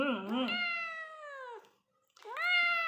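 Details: A cat gives a long meow that slowly falls in pitch and fades. After a short silence a second meow rises sharply. A person talks briefly over the start.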